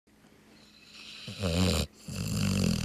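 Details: Barnaby, a sleeping Labrador, snoring with a low, rough, rattling inhale that swells then cuts off, followed by another deep rumbling breath building in loudness.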